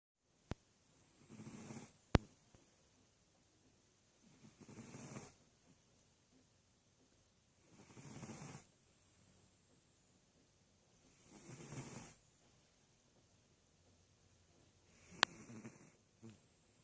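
A sleeping sphynx cat snores in slow, steady cycles, each soft rasping breath lasting about a second and returning every three to four seconds. A couple of faint clicks break the quiet between breaths.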